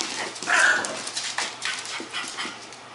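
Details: An excited French bulldog–Pekingese mix, just after his first bath, gives a brief, high whining whimper amid snuffling and rustling noises.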